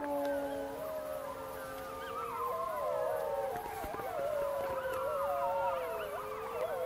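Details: Gray wolves howl together in long, wavering overlapping tones, higher pup voices breaking and sliding above, responding to played-back recorded calls in Parco delle Alpi Apuane, 2014, confirming the pack's first breeding there.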